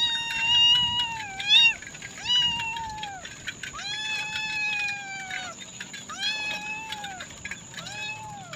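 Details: A domestic cat meows again and again: about seven drawn-out, tonal meows, each slightly falling at the end, over a steady faint high whine.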